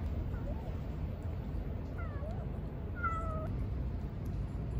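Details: Baby kitten, a stray met at a cat-feeding spot, calls out with a series of high mews, each bending downward, the last one longer and flatter, against constant low outdoor rumble.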